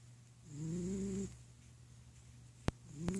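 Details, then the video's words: Napping house cat snores: one drawn-out, low, rasping breath that rises gently in pitch, followed by two sharp clicks and the start of another snore, with a faint steady hum behind. "Snoring Kitty Cat"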